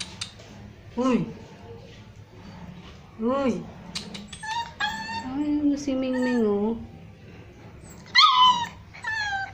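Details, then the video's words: Hungry street puppies named Crazy, Browny and Kabang cry for their missing mother with scattered thin whimpers, a drawn-out wavering whine in the middle and a few sharp high yelps, over a quiet background hum. "CRYING DOG"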